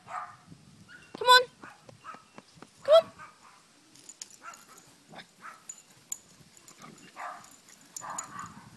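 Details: Outdoors at play with its big sisters, a Chihuahua puppy lets out two strong, squeaky yelps about one and a half seconds apart, then quieter scattered yaps mixed with rustling and possible human voices.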